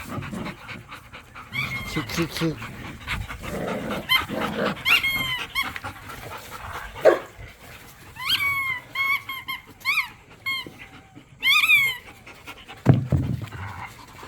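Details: Dogs, pit bulls and a Malinois, wrestle in a yard over a squeaky toy during tug of war; repeated high chirping squeaks in bursts over low growls and panting, with laughter heard.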